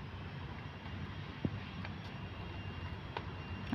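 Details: Steady low rumble of an aircraft or vehicle engine fills the recording, with a few faint clicks and knocks and no animal voice.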